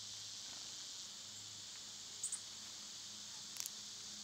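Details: Continuous high-pitched cicada buzz on a summer day, an unbroken shimmering hiss with two short, sharp high chirps near the end and a faint low hum below.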